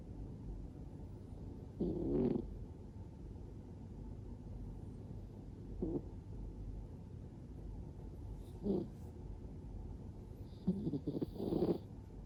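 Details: Scottish Fold cat fast asleep and relaxed, mouth open, giving soft grating snores spaced a few seconds apart, quieter than the background hum between them.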